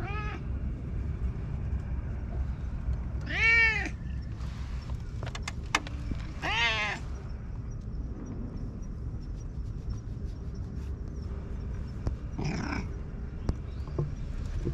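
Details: Stray cat that lives at a lighthouse on high ground, having its head tickled, recorded on a GoPro HERO8: four drawn-out, harmonic-rich meows at irregular intervals, two loud and two softer, over a steady low rumble.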